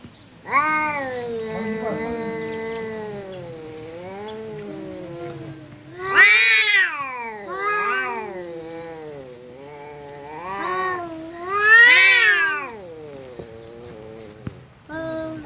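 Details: Pet cat confronting a visiting cat in a standoff, a continuous stream of wavering moaning yowls broken by several louder, harsher rising wails, about every few seconds.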